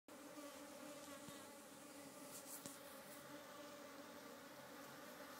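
A busy African honey bee hive gives a steady, dense drone of many wings humming together.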